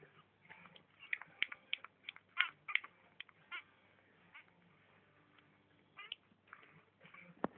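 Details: Litter of 5-day-old kittens indoors: a cluster of thin high squeaky mews repeated rapidly in the first half, then quieter stretches with a few more brief cries and shuffling.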